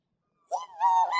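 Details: Hungry cat meowing because it wants to eat: a single short, clear tonal meow that rises and then holds steady and bright, with no other sounds.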